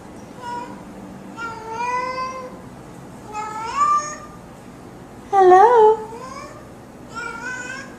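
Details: Cat meowing as if saying hello, with a person asking "hello?" nearby: five drawn-out tonal meows, some rising then falling, one louder wavering meow near the middle, in a quiet indoor room.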